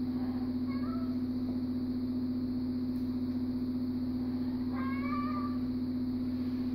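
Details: Siamese cat named Thai, at odds over sharing an armchair, gives two drawn-out meows: a short one near the start and a longer, wavering one near the end, over a constant low electrical hum.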